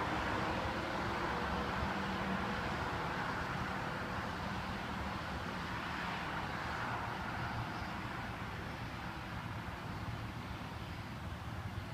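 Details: Steady broadband vehicle or engine rumble throughout, with no animal calls heard.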